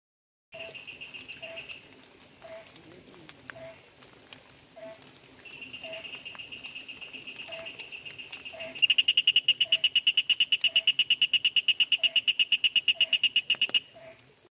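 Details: Malabar tree toad (Pedostibes tuberculosus), a small warty tree toad of wet forests; faint high buzzy tones give way to a loud, rapid pulsed trill of about eight pulses a second, over soft lower notes repeating about once a second.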